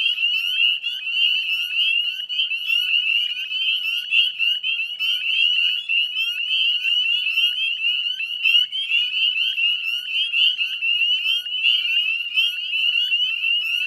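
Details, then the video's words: Northern spring peepers in full chorus at dusk on 18 May 2020, West Chezzetcook salt marsh, Nova Scotia, Canada: dense overlapping high rising peeps forming a continuous shrill band, no other sounds. "Northern Spring Peeper Chorus"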